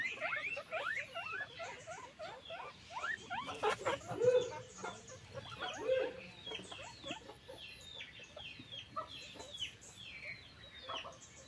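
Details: Farmed guinea pigs in a group produce a continuous busy mix of quick rising and falling squeaks and chirps, many voices overlapping, with brief knocks and rustles in the background.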